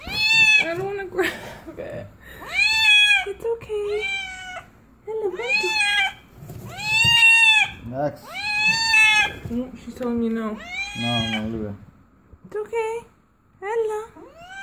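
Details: A cat giving birth meows over and over: loud, drawn-out wails that arch up and fall, coming in quick bursts with short pauses, while a person softly repeats reassuring words nearby.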